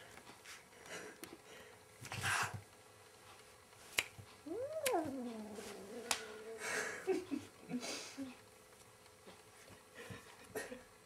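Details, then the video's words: A house cat battling its reflection in a mirror lets out a wavering yowl that swoops up, then holds a long flat moan before breaking off, amid thumps, clatter and rustling movement. "kaķis kaujas ar spoguļattēlu"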